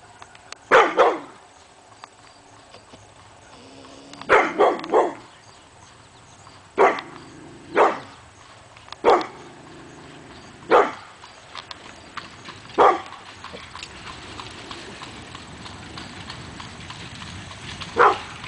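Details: Hemi Bleu, a pit bull, barking at nothing one August morning in 2012; loud broadband barks come singly and in a quick triple, spaced irregularly over a quiet background with a faint hiss.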